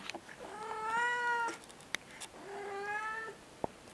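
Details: Siamese cat indoors talking back to a person during friendly chit-chat: two long, drawn-out harmonic meows, each over a second, the first slightly rising then level, the second steady, with brief clicks between.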